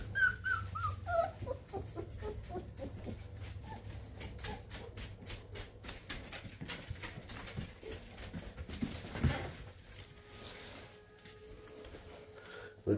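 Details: Several giant-size 22-day-old F2 Lycan Shepherd puppies howl while their mother is outside, in thin, high, downward-sliding wails strongest at the start, amid clicks, rustling and a steady low hum.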